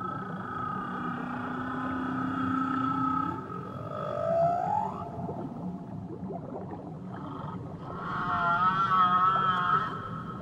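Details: Whale vocalizing in Tahitian waters: a long low moan climbing steadily into a rising upsweep, a short pause, then a wavering, buzzy high-pitched cry with rich overtones, over a background of underwater rumble.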